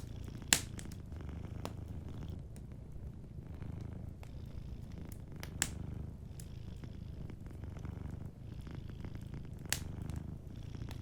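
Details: Long stretch of steady, low, pulsing purring from a sleeping cat, with a cozy fire crackling faintly and a few louder pops from the hearth.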